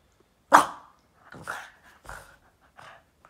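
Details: Boston terrier indoors playing with its owner's foot: one loud sharp bark followed by three softer, shorter barks spaced about half a second apart, with a faint human voice between.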